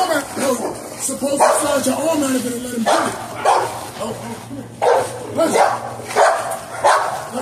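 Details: Dogs during bite sleeve training, an XL American Bully male named Legend and an American Bulldog hybrid female named Smooch: sharp, loud barks in irregular bursts about once a second, following a man's talking at the start.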